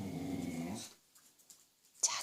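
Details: A Welsh Corgi, just after eating, gives a low, rumbling, growly bark, then a sharp burst after a short pause, while its owner coaxes it to bark more softly; it barks more when family is nearby.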